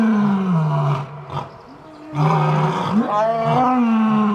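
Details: Lion producing deep, thunderous roars with a strong low rumble and rich harmonics, two sustained bouts broken by a brief quieter gasp near the middle, loud throughout.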